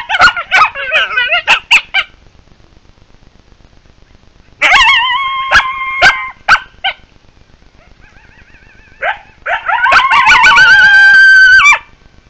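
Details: Coyotes calling as a group: quick bursts of sharp yips open, another yipping burst follows mid-way, then a quiet gap with faint wavering tones before a loud chorus of quavering howls mixed with yips swells near the end.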